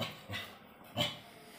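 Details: An 11-month-old female German Shepherd mix puppy in India, during a training session, gives two short soft barks about 0.7 seconds apart on the speak command, with a low background hum.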